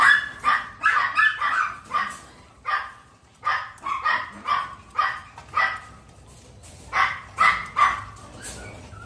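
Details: Young Miniature Pinscher puppies in An Giang, newly learning to eat, give a busy run of sharp, high-pitched yaps and squeaky barks, irregularly spaced, pausing briefly midway before a final cluster of yelps.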